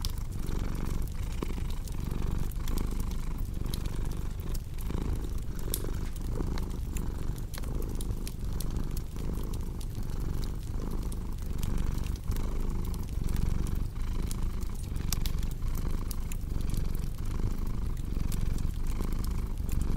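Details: Long stretch of a cat's low, even purr, a soft rumbling hum with gentle rhythmic pulsing, layered with steady crackling from a wood fire.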